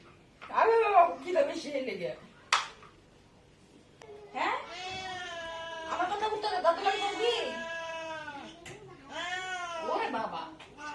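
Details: Domestic cat fed meat by hand indoors, giving long drawn-out meows that rise and fall, several in a row, with people talking and laughing between them.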